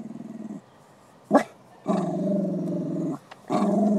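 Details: Male dog Beanie, in a park with children around, directs deep rattling growls at a female greyhound: a short growl, a sharp knock, then a loud sustained growl over a second long and another starting.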